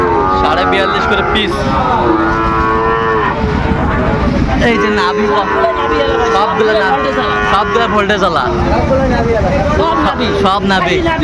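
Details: Sahiwal breed bull calves, 24 bought by a farmer from Jashore, Bangladesh, on 12 September 2025, calling repeatedly; sustained wavering moos overlap each other through the stretch, with people talking and traffic rumble behind.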